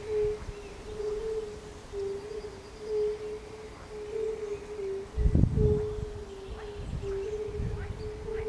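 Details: Fire-bellied toads and frogs in concert at a palace pond in Bukowiec near Jelenia Góra, Rudawy Janowickie, Western Sudetes, Poland, 20 May 2019, give soft, mellow hooting notes merging into a steady, gently pulsing chorus.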